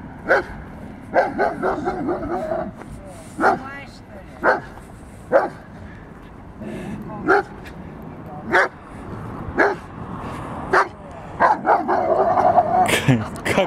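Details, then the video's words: Young Giant Schnauzer going after a metal moose, giving short sharp barks about once a second, some in quick pairs, with a low background hum between them. "Щенок ризеншнауцера нападает на металлического лося"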